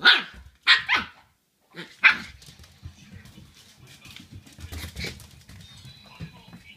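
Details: Shiba Inu puppy inside the house barking furiously at its owner's feet right after the owner comes home, apparently angry at the foot smell; four sharp, bright barks within two seconds, then quieter movement and low voices.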